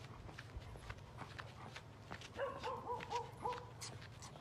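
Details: Alaskan Malamute dog giving a short run of whining, wavering vocal notes, rising and falling over about a second, with clear overtones, set against a steady low hum, faint footsteps and background room noise.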